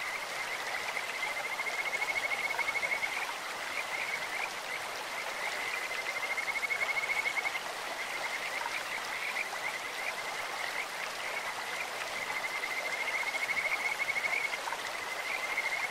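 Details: Kajika frogs calling from a clear stream, with several high, pure whistled trills, each lasting a few seconds, separated by rapid chirps, over a constant rush of water.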